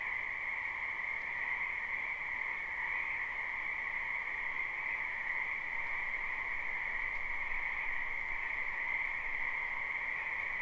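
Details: Frogs massing in a spring wetland near a home fill the air with a continuous droning chorus, recorded live. Two bright pitch bands hold level throughout, with a faint low rumble underneath.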